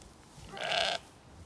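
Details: A single short, bright, quavering bleat lasting about half a second from a recently weaned Zwartbles lamb on an Irish farm in County Kilkenny, among lambs startled by barking dogs; quiet background otherwise.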